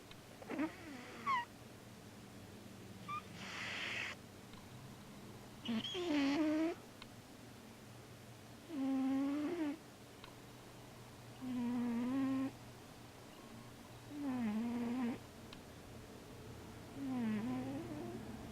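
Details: Male Siamese cat asleep and dreaming, moving in his sleep, making a short snoring breath about every three seconds, each a droning tone that dips and wavers, over a quiet steady hum.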